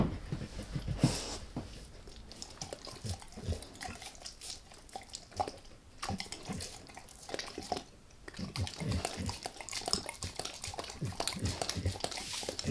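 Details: Max the dog working on a beef rib in a quiet close recording: a long run of wet slurping, licking and crunching bites, packed tightly with short pauses, the strongest bursts near the start and end.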